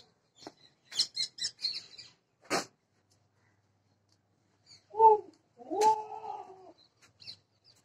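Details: A Sirohi goat on a goat farm in Ajmer gives two short, nasal bleats after a run of high, sharp chirps and clicks.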